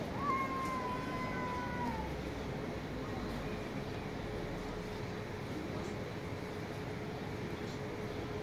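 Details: Street cat giving one loud, falling meow at the start, followed by several seconds of outdoor background noise with a steady faint tone and no further calls.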